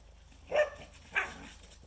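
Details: Shikoku and Karelian Bear Dog playing together outdoors on a freshly melted, slippery pond surface; two short, rough bark-like vocal bursts about half a second apart, otherwise quiet.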